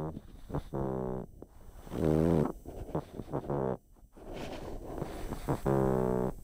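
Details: Sleeping pug Chip snores in deep, droning, horn-like tones, each drawn-out breath lasting about half a second, broken by short snuffling gaps and softer rasping between them.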